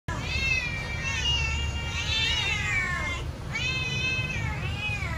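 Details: Domestic cat meowing loudly while waiting for food to be served: long drawn-out meows with rich harmonics, the first sustained and wavering, then two more rising-falling meows after a short pause, over a steady low background hum.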